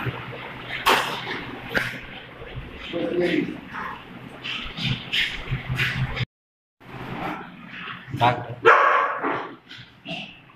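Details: Doberman and pug playing together, short sharp barks and yips scattered through the clip with whimpering, mixed with human speech and a brief silent gap midway.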